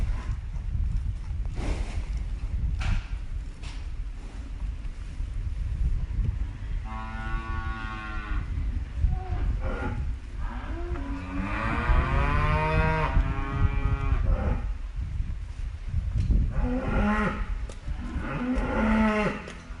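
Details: Cows mooing: several long, drawn-out lowing calls with rich harmonic stacks, one around seven seconds, a stronger rising-and-falling moo near twelve seconds, and another late on, over a steady low rumble of outdoor background noise.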